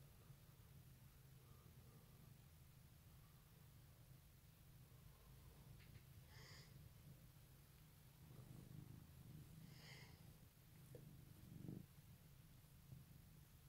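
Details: Pet cat giving a morning purr at Easter 2018: continuous low throbbing rumble throughout, with brief rustling and small clicks partway through in a quiet room.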